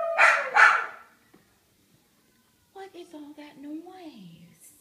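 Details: Pet dogs howling after their owner goes upstairs without them; two loud howls open, then a pause, then a quieter wavering howl that slides down in pitch.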